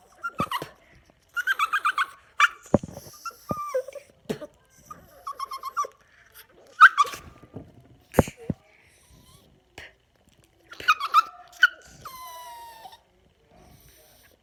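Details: Yorkshire Terrier, a pet annoyed by air blown in his face, making odd noises: short nasal whines, snorts and squeaky yelps in scattered bursts, with a rising-and-falling squeal near the end and brief pauses between outbursts.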